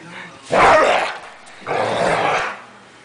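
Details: A dog angry at a blanket lets out two long, harsh, rough growling barks, each lasting over half a second and about a second apart, followed by a short pause.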